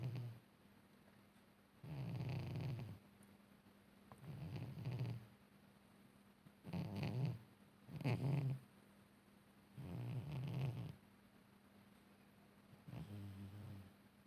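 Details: Cat asleep and snoring deeply: low, throaty rumbling snores come in uneven bursts, some long and some short and close together, with quiet gaps between them.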